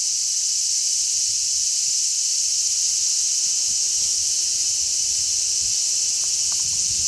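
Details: Large brown cicadas massed on a zelkova tree, 3 August 2010, their combined chirping a steady, hissing wall of high buzz without gaps, while a strong sea breeze adds soft low gusting.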